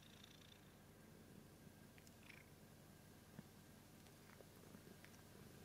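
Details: Pet cat purring, a continuous soft low rumble with faint scattered ticks and rustles above it, fairly quiet overall.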